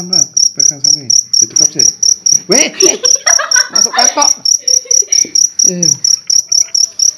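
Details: Large cricket from an Indonesian night hunt, sounding a continuous run of sharp, high-pitched chirp pulses, several per second, mixed with men's talk and laughter.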